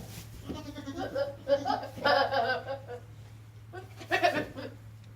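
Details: Goat calling with harsh, wavering bleats in short bursts, two main cries with a pause between, over a steady low hum.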